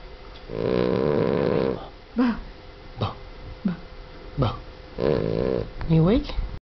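A Boston Terrier snores loudly, with long rattling breaths broken by short snorts and grunts.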